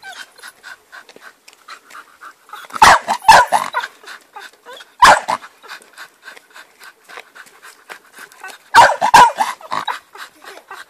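A Bull Terrier pants in quick, steady breaths, broken by a few loud, rough barks.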